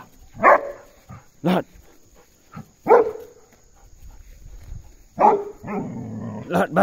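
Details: Belgian Malinois Puntu escorting an ox out, giving single loud barks spaced one to two seconds apart, then a rougher double bark, with a voice calling commands in between.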